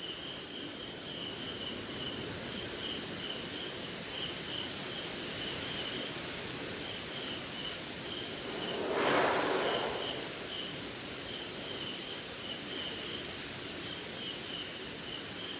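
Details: Crickets and other insects on a rainy night in India give a constant high-pitched trill and rhythmic chirps, broken around the ninth second by a short burst of lower, broadband noise.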